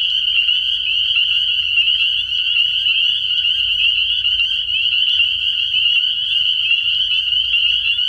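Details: Early-spring night at a frog pond where a throng of spring peepers keeps up a steady, shrill, high-pitched chorus of overlapping peeps, unbroken and even throughout.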